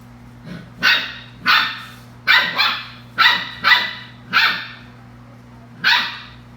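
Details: Belgian Malinois puppies at play giving eight sharp, high yapping barks, single or in quick pairs, spaced irregularly about half a second to a second apart over a steady low electrical hum.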